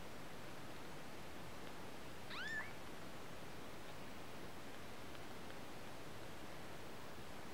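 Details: Kitten giving a single short meow, rising then levelling off, about midway through, heard over a steady background hiss with no other clear sounds.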